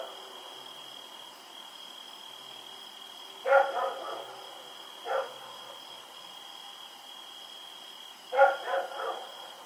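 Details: Bursts of two to three rapid barks, then a lone bark, then another quick cluster, from a dog running around in the night at Pyrga on October 7, 2018. A faint continuous whine sits behind.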